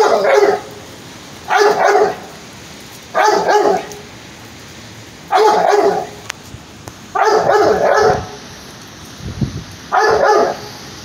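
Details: A pit bull trying to kill a cat barks in loud, harsh single outbursts, six of them at uneven spacing of roughly one to two seconds, over a steady quiet background hiss.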